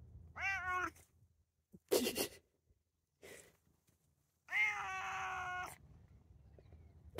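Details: A male Bengal cat, born to a Bengal mother and a tomcat father, gives two drawn-out, wavering meows outdoors as he is coaxed to go inside. The second meow is longer, rising then falling. He is a very talkative cat.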